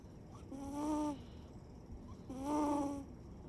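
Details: Chiro, a Siberian cat, snores while sleeping with its eyes open: two drawn-out, whistly tonal snores, each about half a second long and a little under two seconds apart, over a quiet indoor background.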